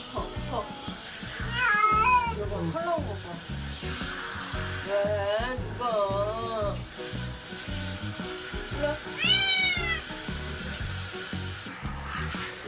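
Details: Adult domestic cat protesting during its first bath, disliking water thought to be cold; several drawn-out meows rising then falling, spaced three to four seconds apart, over steady background music.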